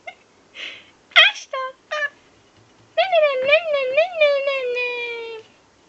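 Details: Pekingese puppy seemingly trying to say "hello": a few short yips, then a long, wavering whine that rises and falls. Pekingese.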